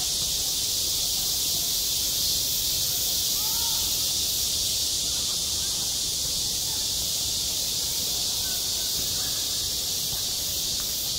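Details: Midsummer cicadas at a school sports ground produce a constant sizzling high buzz, unchanging in level throughout, over a quiet background with a faint distant voice.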